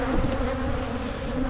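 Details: Dense wingbeat hum from a honeybee colony during hive splitting in Michigan, frames inspected underneath for queen cells; a continuous low drone with a slightly higher overtone, little else audible.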